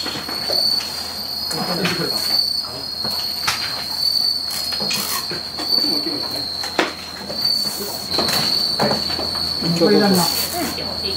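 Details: Bell crickets at a disability support facility in Bando, Ootsu, Naruto, Japan, at peak shipping season, packed in cases with soil, moss and carrot. They give a continuous high ringing trill that swells every second or two, over clattering handling sounds.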